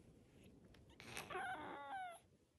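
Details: Cream-coloured Korean shorthair cat giving one drawn-out, wavering meow with strained harmonics that rises and then slides down over about one second, after a brief scuffle, with a person speaking softly in Korean just before.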